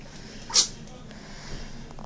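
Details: A dog gives one short, sharp sneeze, a single hissing burst early on, followed by quiet room noise with faint shuffling.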